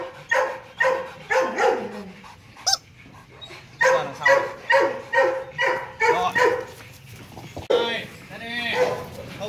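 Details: Male Rottweiler Loki, nearly 2.5 years old, gives a run of loud, evenly spaced barks roughly every half second while playing, followed by a softer tail of vocal sounds, possibly voices.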